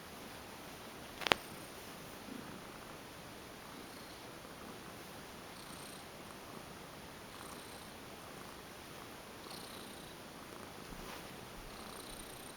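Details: Cat (Felis catus), a female former stray, goes limp during a massage and purrs: a steady, soft, continuous rumbling hum with one brief sharp click early on.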